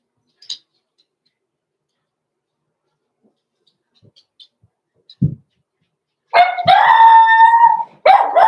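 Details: Six-week-old blenheim Cavalier King Charles Spaniel puppy from a small litter born November 14, 2022, indoors in a puppy pen: after a long quiet stretch with faint knocks, one drawn-out, high, harmonic yelp, then a second sharp cry starts.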